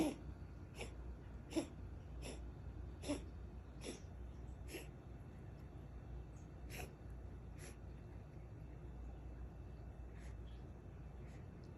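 A Ragdoll cat coughs in a series of short, dry, hacking bursts over a low background hum.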